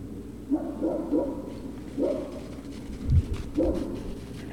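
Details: Great Dane puppies at Puppy Hill, recorded 03-06-2019 around 16:24, give three soft, whiny whimpers with harmonic overtones, each under half a second, spaced over four seconds against a low background hum.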